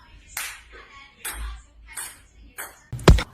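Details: Music with rhythmic percussive bursts like claps, ending in a loud knock, with no animal calls heard.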